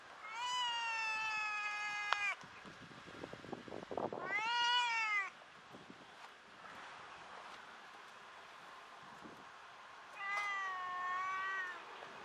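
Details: Tortoiseshell cat that meows a lot: three long clear meows, the first held steady about two seconds, the second rising then falling, the third shorter and level, with faint rustling and soft knocks between them.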